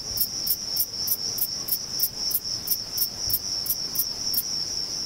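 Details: Thyreonotus corsicus, a singing male bush-cricket at Vilella in Sueca, stridulating with its wings: crisp, high buzzy pulses spaced roughly a third of a second apart, with a continuous shrill insect tone running underneath.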